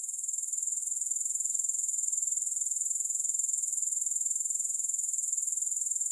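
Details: Grasshoppers, recorded without music, keep up a steady, very high, hissing trill with fine rapid pulses, unbroken and even in loudness throughout.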